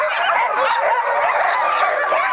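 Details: Sled dogs waiting to start a sledding run in 2010, a chorus of excited high yelps and whining barks from several dogs overlapping without pause, loud and close.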